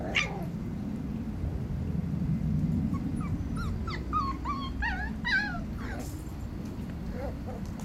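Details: Five-week-old Tibetan Terrier pups beside their mother give a run of high, wavering whimpers and squeaky yelps, several per second through the middle, then fading to softer whines, over constant low background rumble.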